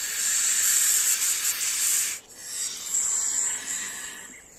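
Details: Rattlesnake rattling: a continuous, hissing buzz, steady and loud for about two seconds, breaks off briefly, then resumes more softly and fades.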